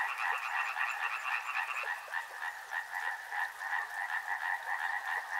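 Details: Many frogs near a river croaking together, a quick pulsing rattle with distinct beats a few times per second; a higher strand of calls drops out after about two seconds while the lower chorus carries on.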